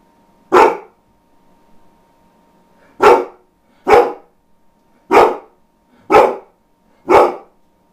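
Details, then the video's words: A rare bout of barking from the dog Ronin: one bark, a pause of two seconds, then five loud barks roughly one second apart, rough and broadband, in a quiet indoor room with faint hum. "Ronin Barking!"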